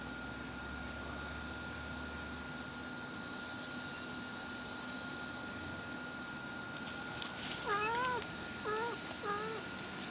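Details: Mother cat calling as she looks for her kittens; after a long stretch of steady hum, three short wavering meows come close together near the end, each dipping and rising in pitch.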